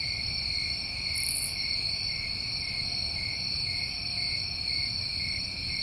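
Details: Many crickets in New England summertime trill continuously in a bright, steady high-pitched wash, with one brief louder chirp around the first second and a quiet low rumble.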